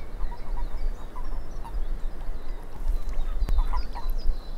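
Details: Frogs calling in a swamp: a chorus of short, quacking croaks repeating at mid pitch, with thin higher chirps overlapping, all over a steady deep rumble of wind or background noise.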